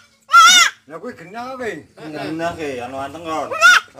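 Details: Young Peranakan Etawa goat of unusual appearance from Kaliwiro, Wonosobo, Central Java, giving two loud, wavering, high bleats at the start and the end, with people talking in between.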